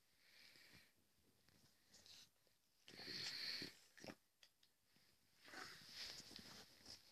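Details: A sleeping French Bulldog snores softly, its breaths coming as breathy, wheezing rasps a few seconds apart.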